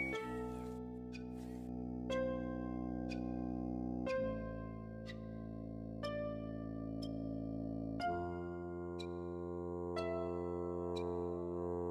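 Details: Sustained instrumental music with plucked or keyboard notes over held chords. No animal voice can be picked out.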